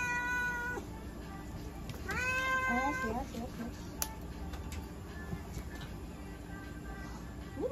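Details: Russian Blue cat named Shion during a blood pressure test at a veterinary clinic in Nagoya, giving drawn-out, high, harmonic meows, one near the start and a longer, bending one midway, with low clinic hum and faint voices behind.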